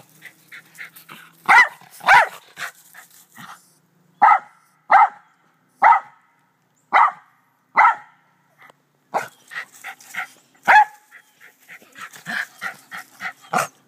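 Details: Doe the black terrier barks in a back yard alongside two white Rat Terriers; an evenly spaced series of clear barks about every second gives way to faster, busier yapping mixed with softer sounds near the end.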